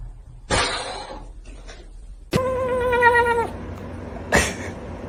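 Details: Domestic cat giving a single drawn-out meow lasting about a second, steady and slightly falling, between a sharp noisy burst at the start and a short thump near the end; faint room noise throughout.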